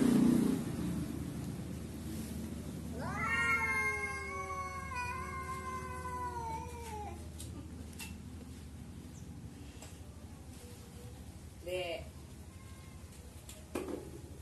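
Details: Cats appearing to converse: after quiet opening seconds, one long wavering caterwaul swells and dips for about four seconds, followed by a brief short meow near the twelfth second and faint household background.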